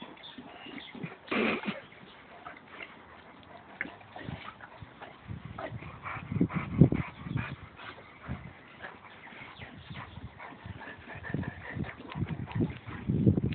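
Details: A Boxer and a Labrador wrestling playfully in mud, two dogs outdoors; low rumbling growls and huffs come in irregular bursts, with a sharp louder snarl early on and wet sloshing and scuffling throughout.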